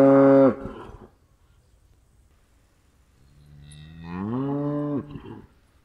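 A cow lets out a brief, forceful moo followed by a pause. A second, longer moo swells gradually, climbing in pitch before cutting off abruptly.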